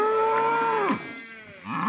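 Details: A cow in a village gives one loud, steady moo of nearly a second that slides downward as it ends. A quieter rustling and a faint rising sound follow.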